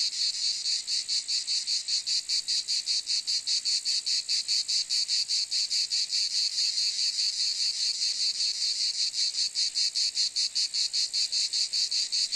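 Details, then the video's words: Cicadas calling: a dense, high, buzzy drone pulsing steadily about two and a half times per second, unbroken throughout, with no other sounds. "Cicade geluid / Zikaden sound / Zikaden zirpen / Cicada sound effect"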